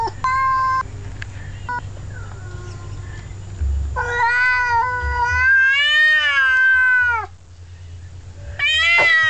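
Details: Two male domestic cats together, one telling the other off: long drawn-out harmonic yowls, wavering and falling at the end, in bursts separated by short pauses, with a low hum underneath.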